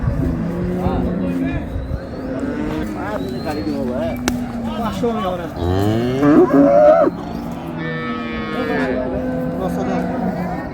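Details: Cow and calf of an improved dairy breed at Ambari market in Dinajpur, Bangladesh: several deep lowing moos, some rising and falling, one harsher bellow near the middle, with people talking in the background.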